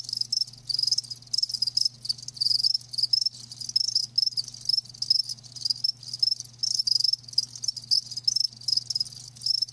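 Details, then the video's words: Continuous shrill chirping from many live crickets, fast pulsing high trills packed closely together across the whole stretch, a low steady hum in the background. "Live Crickets 60min "Natural Sound""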